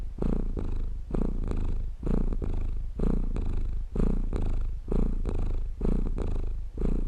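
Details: Steady low purring of a cat, offered as a relaxing sleep sound; rumbling bursts rise and fall with each breath, about one cycle per second, nothing else audible.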